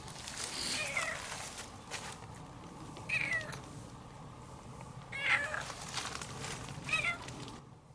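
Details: Young calico cat outdoors, reunited after about two months, fleeing a black cat and affectionate while following along, May 2019; several short rising-falling meows around one, three, five and seven seconds over background rustle and noise.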